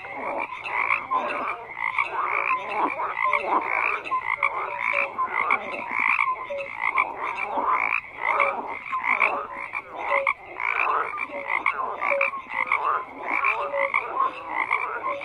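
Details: Frogs croaking in a dense chorus, many overlapping rasping croaks banding between mid and high pitch, with short clear whistled notes scattered through; steady, unbroken calling with no other sounds.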